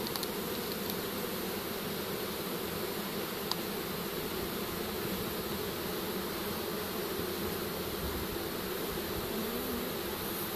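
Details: Honey bees streaming into a pole bucket after a swarm capture from a tree, a few still up at the top; unbroken droning buzz, steady in loudness, with one sharp tap.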